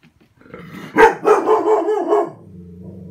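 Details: Seven-year-old female Golden Retriever barking at a vacuum cleaner: a quick burst of four or five sharp, loud barks within about a second, fading into a low steady hum.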